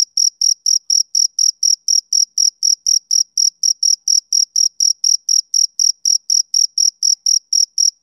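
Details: Rhythmic chirps from a male cricket on a summer evening, around thirty crisp high-pitched pulses at a regular beat of nearly four a second, nothing else audible.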